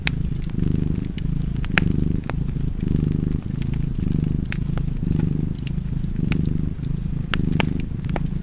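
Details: Low, even purring from a house cat near a fireplace, pulsing in regular breath cycles just under a second long, accompanied by frequent crisp crackles from the fire.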